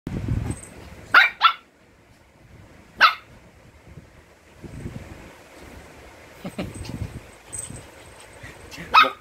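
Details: Mixed Shih Tzu dogs at home, one apparently afraid of the other: sharp short barks near one second, a single bark at three seconds and another at the end, with rustling and quiet household sounds between.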